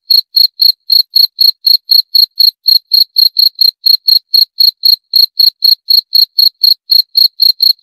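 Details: Unbroken sequence of shrill cricket chirps, each a quick pulsed burst, coming at about four per second for the whole stretch. No background noise or other animals.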